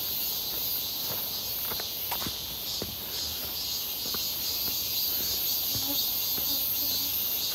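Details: Walking near Seonbawi on a hot, clear 1 August 2023 amid many midsummer cicadas: an even, high sizzling chorus running throughout, with light footsteps and a few faint short tones in the background.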